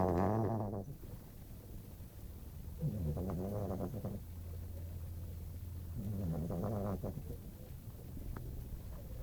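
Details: Sleeping female dog snoring indoors: rough, buzzy harmonic breaths returning roughly every three seconds, with a steady low hum in the room between them.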